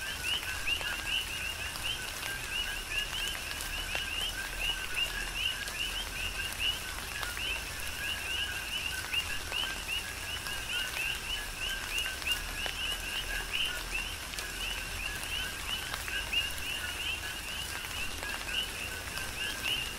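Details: Coqui frogs calling in a steady chorus during a tropical rain shower on the Big Island of Hawaii: overlapping two-part chirps, a lower note then a higher rising one, over constant rain hiss and scattered drop ticks.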